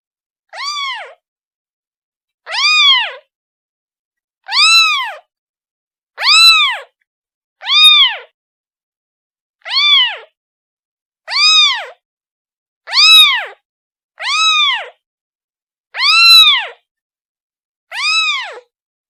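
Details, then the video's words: Repeated kitten meows calling for its mother, eleven short arched cries over nearly twenty seconds, fairly evenly spaced and loud, each a quick rise and fall in pitch; background silent. "The sound of a kitten calling its mother"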